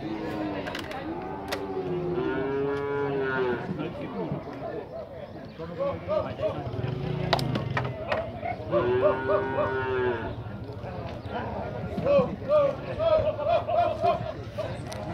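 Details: Nelore cattle moved from one pen to another at a cattle fair in Tabira, Pernambuco, Brazil: several drawn-out, wavering moos overlap throughout, amid hoof clatter, knocks and background voices.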